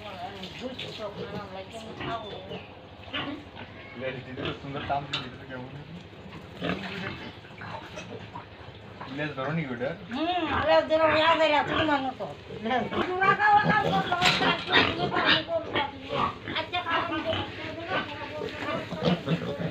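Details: Farm pigs with piglets in Tripura, India, being fed: rapid grunting builds into loud, wavering, arched squeals from many animals together, most intense in the second half, over constant pen noise.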